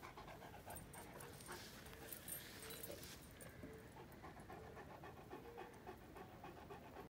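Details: A Saint Bernard basking in sunshine pants quickly and evenly, about four breaths per second, against a soft outdoor hiss.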